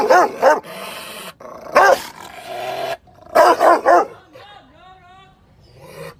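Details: An angry Rottweiler barks loudly in harsh, deep bursts, some doubled, with brief pauses between; Rottweiler.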